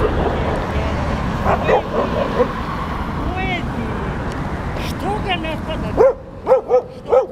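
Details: Stray dogs of New Belgrade at play: a Šarplaninac mix about two years old, a mature male and three puppies under a year old. Short, high, arching yelps and barks, several in quick succession near the end, over steady traffic rumble.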